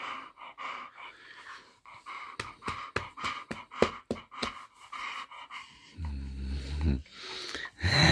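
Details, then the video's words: English bull terrier Tess, woken by her owner in the morning and giving a happy greeting: quick, rhythmic panting huffs, about one per second, then a low drawn-out groan and more breathy sounds at the end. "Waking up my dog in the morning - English bull terrier"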